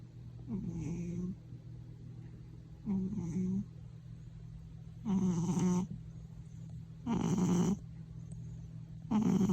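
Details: House cat snoring louder than anyone at home, startling people too; rhythmic low rumbling snores about every two seconds, each a rough droning burst with a breathy hiss, over a steady low background hum.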